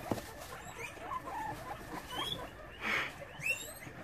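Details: Evening at a Brisbane, Australia guinea pig sanctuary: scattered thin upward squeaks, with a louder brief burst near the three-second mark, over rustling bedding and low background noise.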